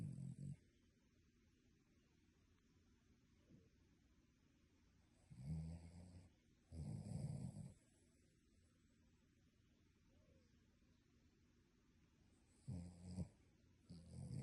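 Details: Dog asleep and snoring like a human, loud rasping low snores coming in bursts about a second long, separated by quiet pauses of several seconds, two close together mid-clip and two more near the end.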